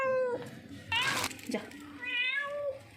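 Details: Hungry, lost street cat being offered milk meows repeatedly, short harmonic cries overlapping a person's coaxing voice and a burst of noise, ending with a rising then falling meow.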